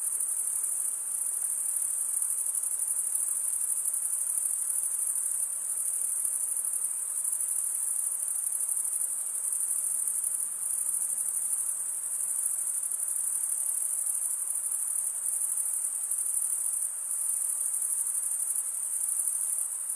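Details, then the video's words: A dense cricket chorus of males chirping by stridulation. It forms a continuous high, ringing buzz held at one pitch, with faint pulsing in volume and a quiet background. "Most relaxing cricket sound for 8 hours"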